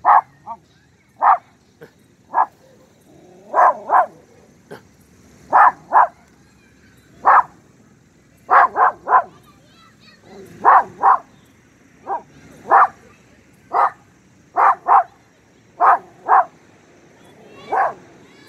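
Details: Pinscher, nearly two years old, barking in a neighbourhood square after sniffing something on a walk; a long run of sharp, mid-pitched barks, singles and doubles at irregular intervals of about half a second to two seconds.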